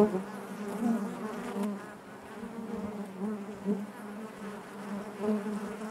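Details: Honey bees buzzing inside their hive: a dense, steady drone centred low with stacked harmonic bands, swelling and fading gently in loudness with no other sounds.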